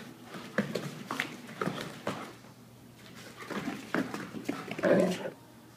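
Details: Three dogs named Sean, Emery and Shanna playing together indoors in a small room during a morning-long play session; short rough growly bursts and yips come in quick irregular clusters, with a brief human exclamation.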